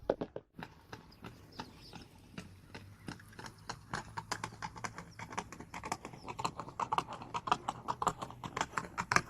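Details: Galloping horse, its hooves clattering in a fast, slightly uneven clip-clop, with a steady low hum underneath and the strikes growing brighter and louder toward the end.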